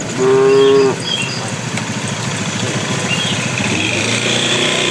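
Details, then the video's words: Bull calling to cows as tame cattle walk toward their pen: one loud, brief, steady moo at the start, then the rumble of a passing motorcycle engine. "suara sapi jantan memanggil betina"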